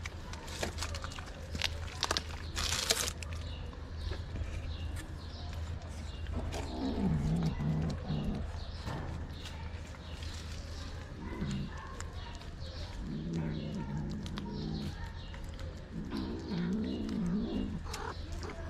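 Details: Street kitten in Morocco fighting against being treated, mother cat nearby: after rustling and handling noise, three separate low, wavering growls rise and fall in the second half, with a steady low hum beneath.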